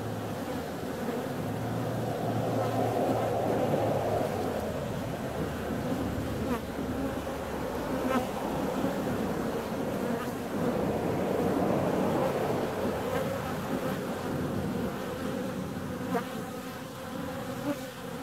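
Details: Bees venturing out on a warm February day: a dense, wavering buzz that swells near the start and again toward the middle. A deeper engine-like rumble sits under the opening seconds.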